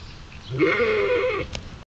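A sheep lets out a single drawn-out bleat, low and level, holding for about a second. Its deep, steady quality sounds surprisingly like a cow's moo.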